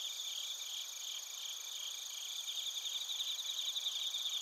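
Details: Bell crickets and crickets chirp in Narita, Chiba, Japan, recorded on a TASCAM Portacapture X8; a constant high insect drone, with a sharper rapid pulsing trill swelling in over the second half.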